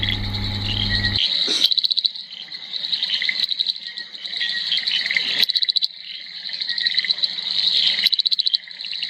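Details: Frogs around Devala, Nilgiris, Tamil Nadu, India, call in a dense, high buzzing chorus broken by rapid clicking trills, advertising for mates.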